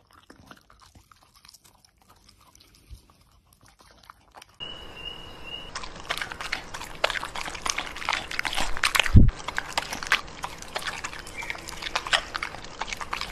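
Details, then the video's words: Pembroke Welsh Corgi eating; near silence with faint ticks at first, then loud, steady crunching of food begins and continues, with a sharp knock midway. "Cutest Corgi Eating Food challenge compilation"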